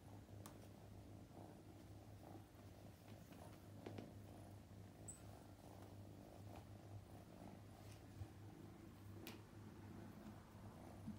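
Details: Young male straight-eared Scottish Fold kitten, born May 2021, on his second day in a new home indoors: a soft, continuous low rumbling purr throughout, with a few faint clicks and rustles.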